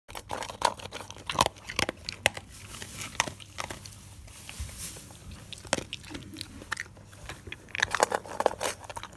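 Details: Dog eating various foods, crispy, moist and bone, indoors: sharp crunching bites and wet chewing clicks in irregular bursts, loud snaps near the start and end with quieter gnawing between.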